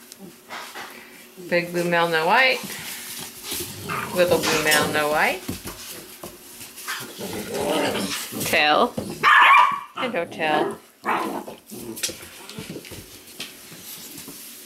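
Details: Weimaraner puppies from the Indigo and Magnum litter, indoors: high, wavering whimpers in drawn-out bursts around two and four seconds, then shorter squeaky whines, with human voices talking over them.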